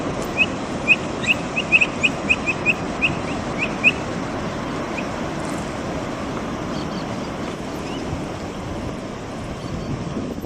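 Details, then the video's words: A Brazilian capybara makes noise as it eats. A run of clipped, high chirps comes in a fast cluster during the first four seconds, then fades into continuous rushing background noise. "Som da CAPIVARA. Capivara piando? O pio da capivara brasileira. Capivara comendo e fazendo barulho.."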